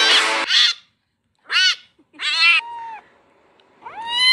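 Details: Meowing kitten carried off by water: a noisy splash-like burst opens, followed by several sharp cries and a final rising, strained meow.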